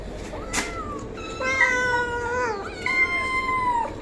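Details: Domestic cat giving several long, drawn-out meows in a row. Each is a clear, tonal wail that holds steady and then slides downward at the end. A sharp click comes just before them, over a quiet background hiss.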